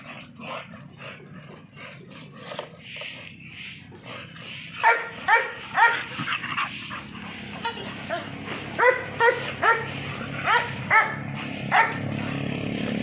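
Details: After several quiet, noisy seconds, an American Bully breaks into a quick series of sharp, high yapping barks, roughly two each second, continuing to the end over faint background rumble.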